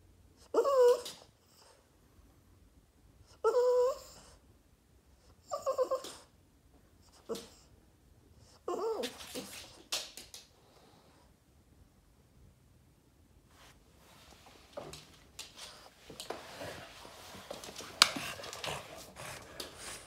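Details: Boston Terrier named Yoda, indoors, throwing a tantrum and wanting attention: a series of short high whining whimpers spaced a few seconds apart, then quieter rustling and snuffling toward the end.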